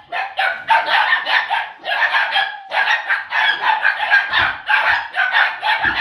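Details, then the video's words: Puppies of the O litter, nearly 8 weeks old, with a laughing ball toy: a dense chorus of high, yappy barks in overlapping bursts, pausing briefly near two and three seconds before resuming. "Live Laugh Bark"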